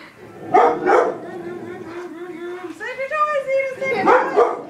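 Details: Domestic dog reacting to a vacuum cleaner as its owner tries to accustom it: two quick barks at the start and two near the end, separated by a steady tonal whine and rising, harmonic sounds, with voices mixed in.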